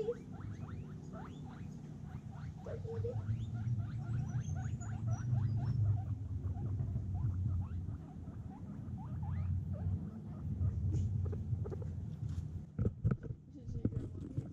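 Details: Free-range guinea pigs at feeding time, picked up on a GoPro Hero 6: rapid, dense clicking and chattering bursts, roughly four each second, over a steady low rumble, with a faint high chirp early on.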